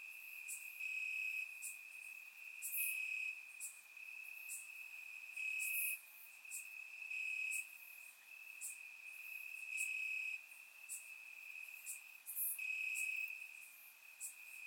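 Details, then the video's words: Crickets chirping in grass on a warm summer night in Bulgaria, recorded in surround sound: a steady high trill runs throughout, with brighter pulsed bursts of louder chirps recurring about every one to two seconds. "Cricket Sounds - Crickets Chirping at Night"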